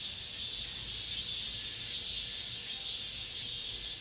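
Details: Cicadas singing in an apartment complex at summer's end, the last cicada song of the season: a dense, steady high-pitched buzzing drone with slow, gentle swells in loudness, no other clear sounds.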